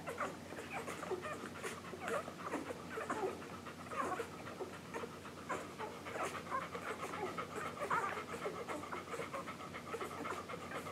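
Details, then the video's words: Week-old English Golden Retriever pups of Maddie and Jazz's July 9, 2012 litter feeding at their mother, recorded July 15, 2012; steady wet suckling, rapid snuffly breathing and a few brief high whines. "English Golden Retriever Puppies Nursing"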